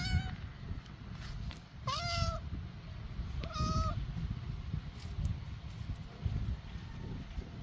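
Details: Two tiny stray kittens newly arrived in a backyard, giving three clear meows at the start, near two seconds and near four seconds, each with a bright stacked tone, over a low outdoor rumble.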